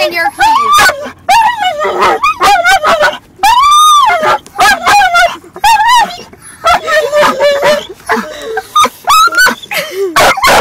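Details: A dog lets out a loud string of drawn-out whines, yips and yowls swooping up and down in pitch in quick bursts with short gaps, oddly speech-like, around a car while another dog moves about.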